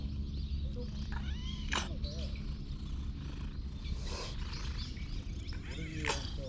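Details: Friendly stray community cat that has lost one eye, filmed on a GoPro: a few short arching meows rise and fall, with human voices and a steady low outdoor rumble throughout.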